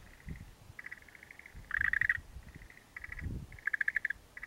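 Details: An unseen frog calling in a lowland near mountains in Japan: high, rapid pulsed trills in short bursts, some rattled loudly, repeated over the whole stretch, with low rumbling and handling noise underneath.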